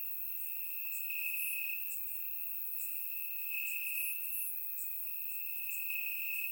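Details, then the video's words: Night chorus of crickets chirping in grass during a warm Bulgarian summer, surround-recorded; an unbroken shrill trill rises in brighter stretches every second or so, with scattered very high chirps overhead. "Cricket Sounds - Crickets Chirping at Night"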